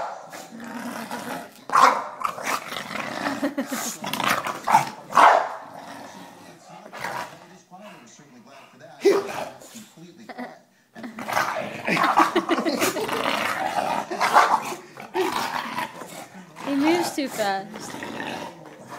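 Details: Herman, an English Bulldog, ferociously play-attacking a foot at home. Gruff growls and snorting bursts come in uneven waves, with a short quiet gap midway, mixed with voices chatting and laughing in Spanish.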